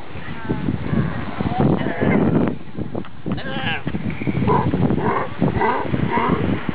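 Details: Galapagos sea lion families seen up close in the Galapagos, giving rough, bleating calls over a dense bed of low grunts and growls.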